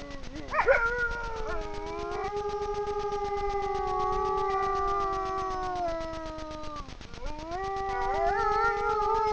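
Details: Grey wolf pair howling side by side in front of a camera trap, Frýdlantsko, Czech Republic, at night; a sharp wavering onset leads into long, slowly falling tones, a brief break, then a renewed rising howl.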